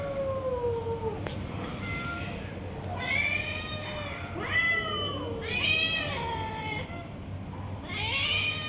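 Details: A tiger cat among stray cats, snatching food and not letting others eat: a falling low meow, then a series of loud, bright, rising-falling meows roughly every one to two seconds over low background hum.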